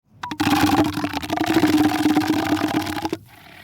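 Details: Elephant seal giving a rough, pulsed call lasting about three seconds: a rapid buzzing rattle of broad throaty pulses with steady low tonal bands, ending abruptly.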